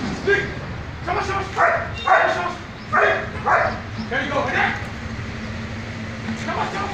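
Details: German Shepherd dog being trained in a military squad, giving a run of about six loud, sharp barks over the first five seconds, then quieter, with people talking and a steady low hum underneath.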